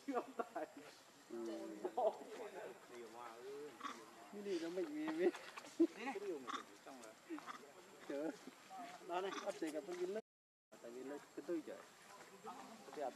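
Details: Baby macaque named Leo crying and begging its mother for milk: wavering, whiny cries in repeated bursts, some short and some drawn out, with a brief gap near the end.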